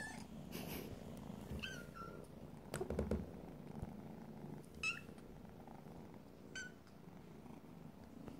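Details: Hungry foster kittens indoors, making short high thin mews rising and falling, three separate calls spaced a couple of seconds apart, over a low purring rumble and a few handling knocks.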